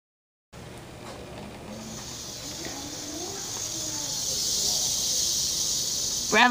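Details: A captive rattlesnake at an environmental studies centre in Mobile, Alabama, gives a steady, high, dry buzzing rattle lasting several seconds, with a person talking quietly underneath.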